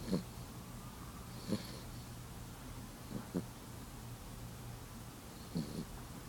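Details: Abby, a pet cat, snoring while asleep: soft, low, rough breathy snorts come at uneven intervals of one to two seconds over a quiet indoor hum.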